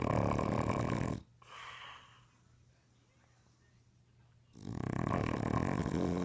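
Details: Sleeping English Bulldog snoring around the house, phone recording: a loud, rough, rattling snore ending, about three seconds of near quiet with one soft breath, then another long grating snore starting up.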